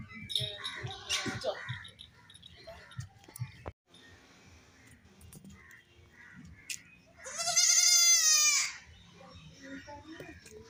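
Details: Young goats at play, jumping about; after several seconds of quiet scattered rustles and knocks, one long, loud, quavering kid bleat lasts over a second, shaking in pitch before fading into quiet background.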